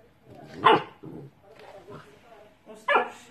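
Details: Pet dog from a humorous compilation lets out two sharp, clipped barks about two seconds apart, with soft murmuring voices between them.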